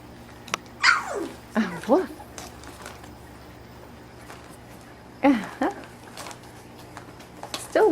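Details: Domestic puppies eighteen days old, born September 4th and still learning to walk, wrestling and playing together for the first time indoors: brief high squeaky yelps sliding steeply down in pitch, in small bursts separated by quiet pauses.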